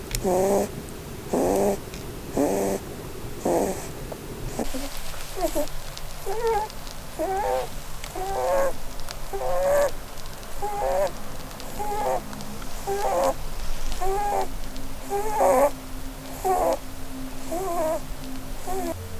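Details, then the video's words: Pet Holland Lop Blueberry, a breed prone to snoring because of its facial bone structure, dozes and dreams beneath a Christmas tree. About seventeen short squeaky snores repeat at roughly one a second, and a low steady hum sets in partway through. "Snoring Bunny Compilation (Christmas Edition)"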